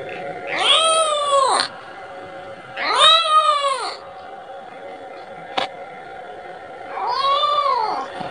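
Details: A kitten calls out for its mother, asking for milk. There are three drawn-out, wavering meows, each rising and falling. A sharp click sounds in the pause between the second and third cries.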